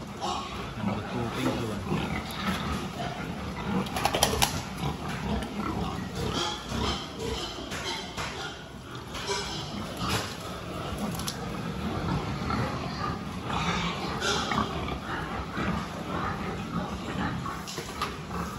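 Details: Pigs during a health check on 26 October 2023, a dense, continuous mass of low grunting and snuffling with occasional sharper squeal-like bursts, steady throughout amid constant barn noise.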